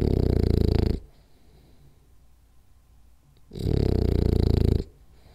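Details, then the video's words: Napping French Bulldog, Rolly, snoring hard: a loud rattly snore fades out, about two and a half seconds of near silence, then another coarse, low snore roughly a second long. "French Bulldog Snores Hard For 10 Minutes"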